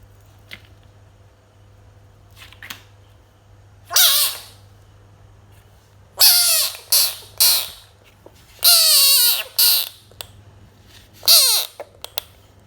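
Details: Harsh scratchy cries from a pet frog come in irregular runs: one burst, then clusters of two to three loud squawks with descending tones, separated by quiet gaps, a low hum beneath throughout.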